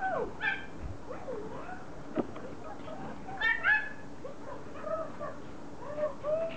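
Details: Excited Pomeranians welcoming their owner home after a vacation. Wavering, high whines slide up and down, mixed with short yelps and a few sharper yips, over a steady indoor background hum.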